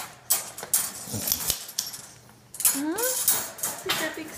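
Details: Black Staffordshire bull terrier puppy named Nino, about seven to eight months old, at morning time, gives one short rising-then-falling whiny 'talking' sound. Clinking dishes and a person's cheerful greetings surround it.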